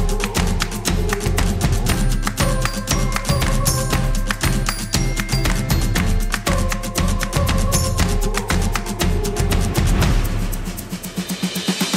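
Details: Loud, rhythmic Latin-style music with heavy bass and plucked, percussive strokes fills the recording, fading slightly at the end; no animal voices are audible.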